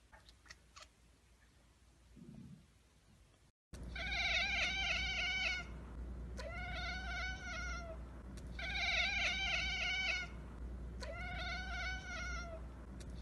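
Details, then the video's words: Domestic cat chattering after spotting a bird or insect it cannot reach: a quiet start, then four bursts of rapid, trembling, high-pitched kekeke chatter, each about a second and a half long, over a steady low hum. "cat kekeke"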